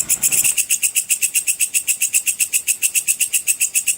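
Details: Sword grasshopper (belalang pedang) in the cicir style, used as a master sound for training competition songbirds: a bright, high-pitched buzzy chirp repeated steadily about four times a second, with no other sounds.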